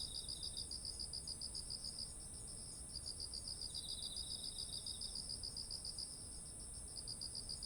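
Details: Insects singing in autumn next to rice fields with ripe ears of grain, recorded on a ZOOM H1essential. Fast, evenly spaced high chirps run in long bursts with brief gaps, over a continuous high-pitched hiss from other insects.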